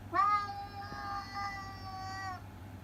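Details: A single long meow from Masaru, a chatty ginger tabby cat in Japan, lasting over two seconds, starts with a rising onset and holds a steady, even tone before ending, quieter than the others.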